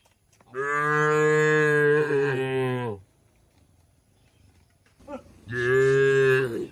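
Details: Tame cattle kept in a shed, two loud, drawn-out moos about two and a half seconds each, steady in tone and separated by a short quiet gap with a faint grunt before the second.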